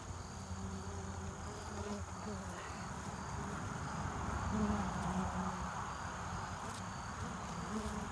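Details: Many honeybees buzz at the hive entrance in early evening as foragers come home with pollen and nectar ahead of winter. A continuous low droning swarm, swelling slightly midway, with individual bees whirring past.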